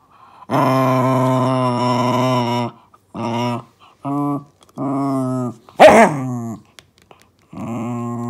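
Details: Momisan, a 2-year-7-month-old female Shiba Inu, growls indoors while playing a 'wild beast' game with a deer antler. Deep, rumbling, harmonic growls come in long and short bouts with pauses. A sharp bark-like burst sounds near the end.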